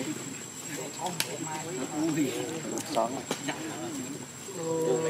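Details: Baby monkey Luno crying in the water as his mother leaves him: wavering, rising and falling harmonic screams in quick overlapping bursts, with a steady high tone near the end and rustling background.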